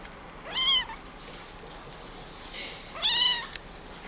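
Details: Scottish Fold kitten, red tabby and white, born around October 2020, at a pet shop: two clear high harmonic meows, each rising then falling, about two and a half seconds apart, over a steady faint hiss.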